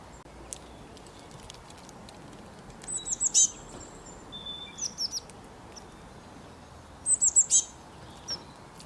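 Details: Squirrel making loud chirps in three bursts: a first of about four sharp high notes, a softer group of three, then four more, spaced roughly two seconds apart over light outdoor noise.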